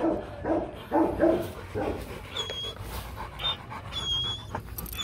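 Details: Loki and Siro, a Rottweiler pair being bred, pant hard in loud rasping bursts over the first two seconds, then quieter breathing under scattered high bird chirps.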